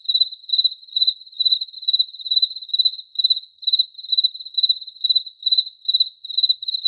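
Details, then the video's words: Crickets giving rapid high-pitched pulsed chirps, roughly two per second, steady and uniform in pitch, on an otherwise silent background. "Cricket Chirping Sounds"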